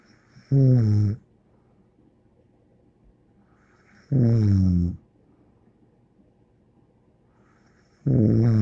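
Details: Bear, a pet dog, snoring indoors: three low, rumbling snores with harmonic bands, each under a second long and spaced about four seconds apart, with quiet room tone between breaths.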